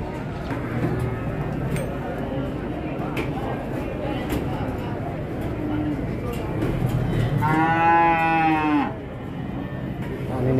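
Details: Cattle at a market where a jumbo cow went wild and traders scattered; a loud harmonic moo rises near the end and lasts about a second, over a dense crowd murmur, clatter and background music.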